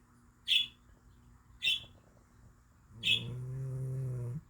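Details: Sleeping cat, deeply asleep: three brief, shrill whistling squeaks about a second apart, followed by a longer steady low-pitched snore with a buzzy tone.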